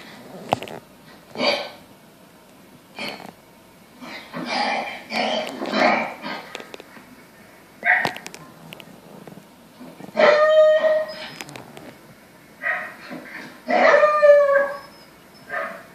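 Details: Lexi, a pet Samoyed, howls along at the TV. Scattered bursts of sound build into drawn-out tonal howls around ten and fourteen seconds, wavering and bending in pitch, with quieter noisy patches between them.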